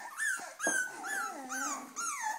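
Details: Cavalier King Charles Spaniels waiting to be fed give a run of five drawn-out whimpers, each starting high and sliding downward, coming roughly every half second, plaintive and insistent.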